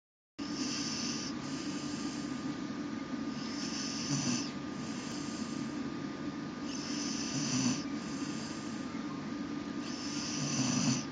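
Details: A male English Bull Terrier napping in a laundry basket snores loudly in slow, rasping breaths, each rough inhale about three seconds apart.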